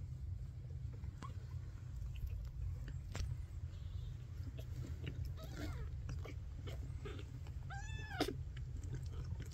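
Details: Late in the recording, Ash, a tiny Maine Coon kitten whose eyes opened last of his litter, lets out a single short high mew that bends up and down. Soft rustles and clicks come before it, over a low background rumble.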